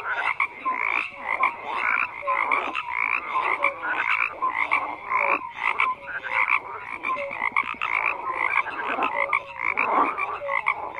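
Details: Frogs croaking en masse, loud overlapping raspy calls rising and falling in intensity, with brief higher chirps and whistles mixed into the steady chorus.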